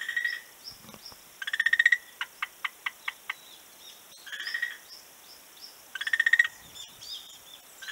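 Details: A frog on a beach, recorded 11 March 2017, gives crisp pulsed rattles, loud bursts of rapid clicks that swell in volume, alternating with a slower series of separate sharp ticks and softer distant rattles.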